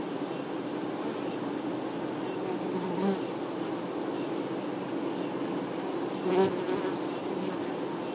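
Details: Honey bee workers tending their queen: a steady, low droning hum from many bees, with a brief louder buzz as one passes close around six seconds in.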